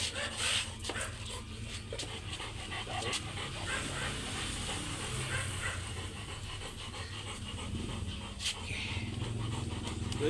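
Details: English Labrador Makadyot Jacob at stud service in Mapandan, Pangasinan. Steady, breathy panting runs through the clip over a dense background hum, with a few sharp clicks and brief bursts of noise.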